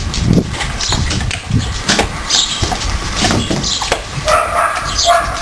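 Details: Four-week-old Siberian Husky puppies play-fight with their siblings, giving scattered yips, whines and growly sounds against a steady background rumble.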